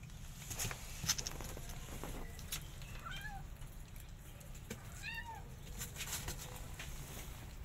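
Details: Mother cat and kitten scuffling as the kitten tries to eat the mother's food; two short, high, arched meows, one near the middle and one slightly later, over clicking, rustling and low background rumble.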